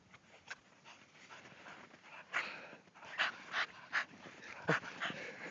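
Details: Three small pet dogs play in eight inches of snow: a male buff cocker spaniel, a female Cavalier King Charles and cocker spaniel mix, and a miniature dachshund. Breathy, noisy puffs of panting come in irregular bursts, crowding closer together and louder in the second half.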